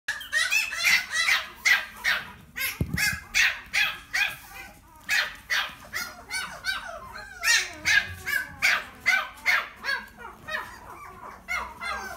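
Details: Mixed-breed dog (CI×PT cross) indoors at a pet shop in Omihachiman, Japan, giving sharp, high-pitched yapping barks in a steady run, roughly two to three per second, with one dull knock partway through.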